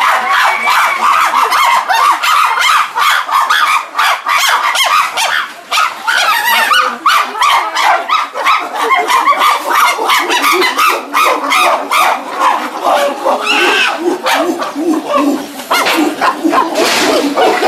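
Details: Chimpanzees of the CCC medium-sized group, including Dan, Vévé, Max, Louna, Charlotte, Lobai, Oga, Wodo, Habou and Shelly, leave through a tunnel to their enclosure. Their dense, overlapping harmonic screams and cries of joy and excitement run without pause.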